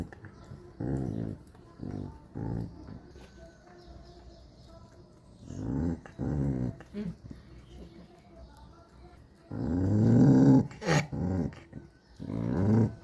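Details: Puppies growling and grumbling in scattered short bursts, quiet at first and louder near the end, with thin music and brief human speech in between.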